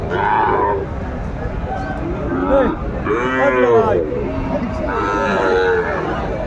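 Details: Sahiwal breed cattle at a busy cattle market in Kurigram, Bangladesh, on 14 December 2024, where a bull calf is being bought. Several arched, rising-then-falling bawling moos come one after another over steady crowd murmur.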